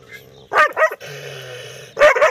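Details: Angry dog barking loudly at a stranger: a sharp pair of harsh barks, a pause filled by a steady low hum, then another quick double bark at the end.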